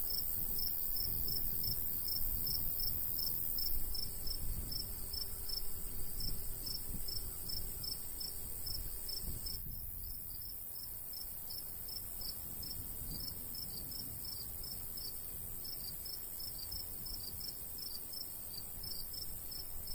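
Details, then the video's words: Crickets chirping in a summer wheat-field countryside, high pulses about three per second, with breeze rumbling louder in the first half and quieter afterward. "cricket sounds"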